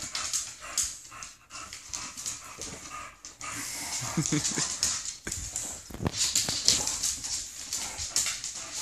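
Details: Two female English bulldogs playing, one wearing a cone after surgery and the other unsure how to deal with it: grunting, snorting and short whimpers amid busy scuffling noises.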